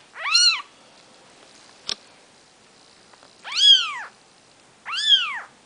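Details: Newborn Maine Coon kittens on their fourth day of life, from the mother cat Nikita, cry three shrill, arching mews spaced over a few seconds, with a single sharp click between the first and second.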